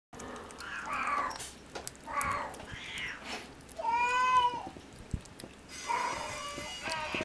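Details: Munchkin kitten, 50 days old and born on 10 February 2016, at lunchtime in a cattery, gives a clear harmonic meow that rises and falls near the middle. Shorter softer cries and human voices come before and after it.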